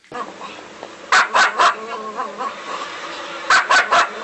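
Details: Angry dog giving two quick triplets of short, yappy barks about two seconds apart over a steady background murmur.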